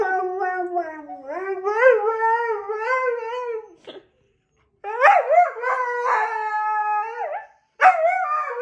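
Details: Dog howling at a siren, voice wavering and sliding up and down in long tonal phrases, two main howls separated by a short silence, a third beginning at the end.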